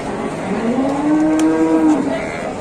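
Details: Big cattle just unloaded from a truck at an Indonesian livestock market; a long, drawn-out moo that slowly rises and levels off for nearly two seconds over constant crowd and traffic noise.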